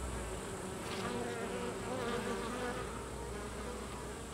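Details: Carniolan honey bee workers forcing drones out of the hive: a continuous crowded hum of many wings, with short higher whining tones sliding up and down in the middle of the clip.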